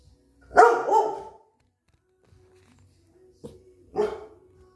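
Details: Dogs on high alert during a countryside visit give two loud, rough barks about three seconds apart, the first doubled, with near silence between them.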